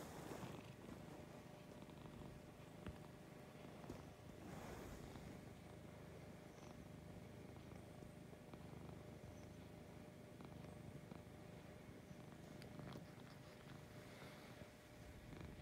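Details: Lucy, a domestic cat, purring in the morning, recorded at close range: a steady low rumbling purr, continuous throughout with faint pulsing, over a broad background hiss and a few soft clicks and rustles.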